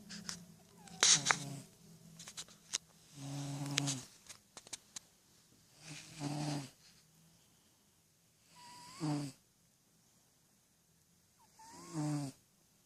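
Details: Freddy, a ten-year-old cat, sleeping with eyes open and dreaming; snoring breaths come roughly every two to three seconds, each a low rumbling burst, with a faint rising squeak at times between them.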